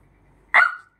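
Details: An angry Shih Tzu, a pet dog fighting with her sister, gives one sharp, loud bark. It is bright and brief, under half a second, and tails off slightly lower in pitch. The background is quiet before it.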